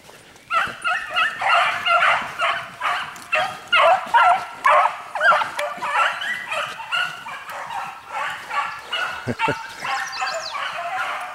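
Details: During a hare course a dog yelps continuously in loud, evenly spaced bursts, roughly two per second, harsh and ringing, tailing off toward the end, with people's voices faintly mixed in.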